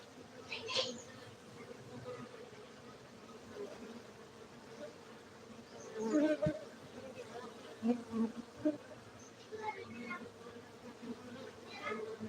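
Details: Honey bees humming at a beekeeping site in Gayo, Aceh, Indonesia: a steady low drone with a faint higher overtone, broken by brief louder buzzes of bees passing close, with faint voices and clicks in the background.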